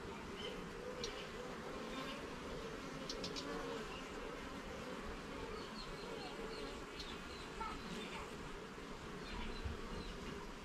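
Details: A garden honey bee hive opened for inspection gives a continuous buzzing drone with stacked overtones, while short high chirps repeat faintly in the background.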